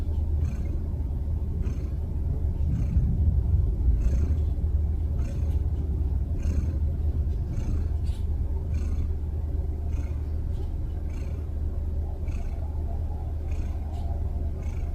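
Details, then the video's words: Snoring cat: a steady deep low rumble fills the recording, pulsing about four times a second, with faint brief clicks higher up. "cat snoring"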